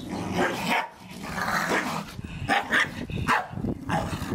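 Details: Staffordshire Bull Terriers romping in the garden over a gifted ball, letting out gruff barks and snarling growls in close, choppy succession, several voices overlapping with rustling play.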